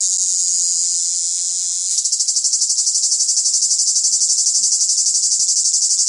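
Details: A cicada in the south gives a loud, high, shrill buzzing that turns into a rapid pulsing rattle.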